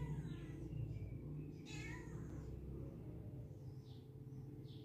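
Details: A pet cat during play time gives one short, bright meow that slides downward, heard over steady background music and a low indoor hum.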